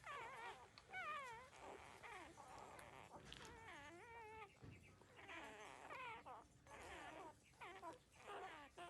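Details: Newborn puppies, 13 days old, drinking their mother's milk give high, wobbly whines that rise and fall in quick wavy squeals, several voices overlapping almost continuously.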